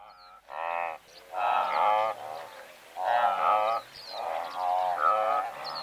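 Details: Blue wildebeest herd of several hundred, recorded medium close-up: nasal, harmonic honking grunts in overlapping bursts about a second long, with quieter calls between, several animals calling at once.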